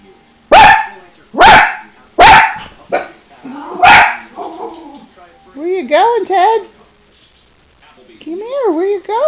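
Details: Teddy, a pet dog praised as a good boy, barks four times in quick succession, then goes quiet while a person speaks, asking where he is going.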